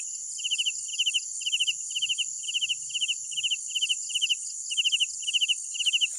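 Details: Night crickets chirping in short bursts of four rapid pulses, about two bursts per second in a fairly even rhythm, backed by a continuous high-pitched insect hum.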